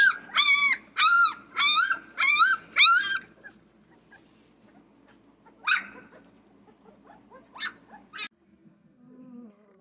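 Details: Central Asian Shepherd Dog puppies during their first meal of blended dog food and hot milk: five loud arched squealing whimpers in quick succession, then scattered sharp squeaks over a soft background murmur.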